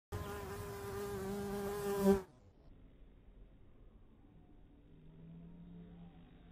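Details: A bumblebee at a cactus flower gives a loud, steady, low droning buzz for about two seconds, then stops abruptly.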